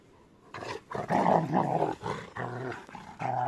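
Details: Rottweilers playing together indoors. After a silent start, loud rumbling growls come in several strong, rough bursts with short breaks between them, ending in a final growl.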